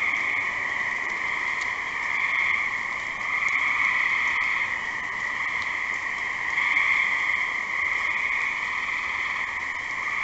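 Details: Gray tree frog calling: a continuous, dense pulsed trill with two steady pitch bands, a lower and a stronger higher one, swelling slightly in loudness around four and seven seconds, like an unbroken chorus with faint background hiss.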